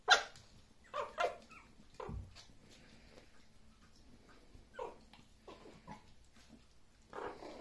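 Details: Maltese dogs in Korea give sharp, high-pitched barks and yips, spaced irregularly with short pauses between.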